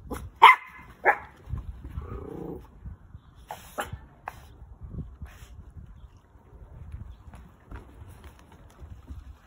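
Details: An orphaned toy poodle puppy eating lunch gives two sharp, high yips close together near the start, then quieter chewing, clicking and rustling sounds follow.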